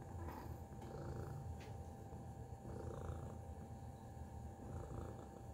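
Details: Low, even purring from a cat named Tacy, a deep rumble that holds steady for several seconds with a few faint clicks early on and a constant background hum.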